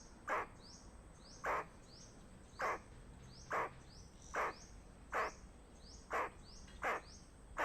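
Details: Squirrel warning of danger with a steady series of rough, clipped barks, about nine in under eight seconds, evenly spaced against a low hiss of outdoor ambience.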